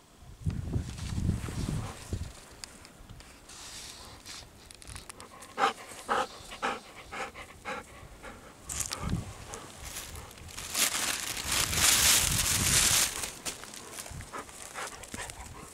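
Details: Golden Retriever panting in a farm field near a chicken coop. Breathy, rhythmic bursts come about twice a second, then a louder stretch of rushing, hissing breaths toward the end. Footsteps and light rustling are heard nearby.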